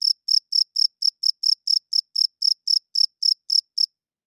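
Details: Crickets chirping at night: a steady series of short, high, pulsed chirps, about four per second, each a bright trill with faint overtones, clean with no other sounds.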